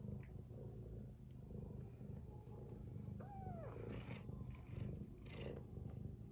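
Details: Sleeping mother cat with her kittens snores in low, rough, pulsing breaths, while a single high, arching kitten mew cuts through briefly near the middle.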